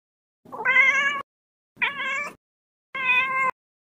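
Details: A cat gives three clear, drawn-out meows, each under a second long, spaced about a second apart, on a clean, quiet background.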